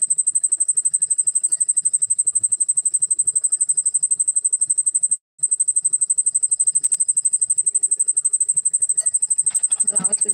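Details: Cricket sings with moving wings: a piercing, high, rapidly pulsed chirping that runs almost without pause, one short gap near the middle, faint voices and a rustle toward the end.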